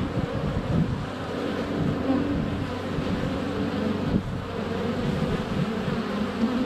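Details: Honey bees in constant flight at the hive entrance, sunny February, GoPro Hero 7 Black under a foot away; a thick, low continuous buzz with individual bees' tones swelling and fading as they pass close.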